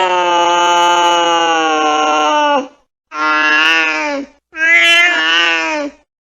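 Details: Angry cat giving three long, drawn-out yowls, each steady and harmonically rich, sliding slightly downward at the end, separated by short silences; no other sounds.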